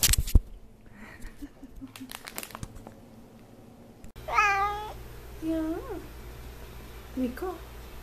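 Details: F6 Savannah cat meowing indoors: after some clicks and handling noise, one strong falling meow followed by two shorter, weaker mews, with a low hum in the background.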